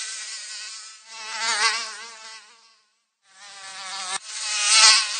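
A mosquito in flight gives a thin, high-pitched whine with a wavering tone. The buzz grows louder and softer as it passes near and drifts off, with a brief silence between passes.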